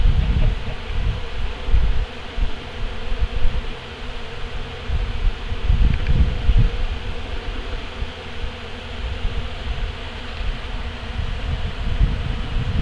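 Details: Bees up close cleaning honey collection equipment after harvest, carrying honey back to their hives; a dense, continuous low buzzing hum of many bees that swells and fades, with brief louder passes near the microphone.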